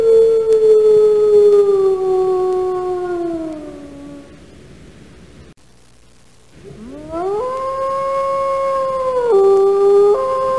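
A wolf gives two long, smooth howls, the first slowly sliding down, the second rising sharply and then holding steady, with a brief quiet gap between them.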